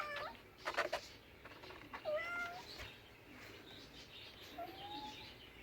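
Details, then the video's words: Short, thin meows from a cat, several quick chirpy calls early on and a softer, drawn-out mew later, against a noisy, clattering background. "Funny cats sounds"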